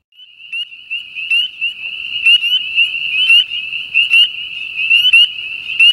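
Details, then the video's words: Spring peeper (Pseudacris crucifer), a common winter-breeding frog in Southern Louisiana, gives high, clear, upslurred peeps about once a second over a steady high chorus. "Spring Peeper (Pseudacris crucifer) Calling"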